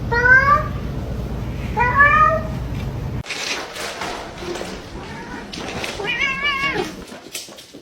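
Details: Kitten meowing indoors: two short rising-falling meows in quick succession, then a later wavering meow amid background chatter and household noise.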